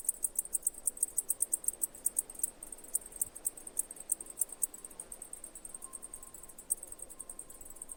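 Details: Cicadas producing high, thin chirps in a fast rhythmic train, pulses crowding closer in places, over a soft background hiss and a faint steady tone near the end.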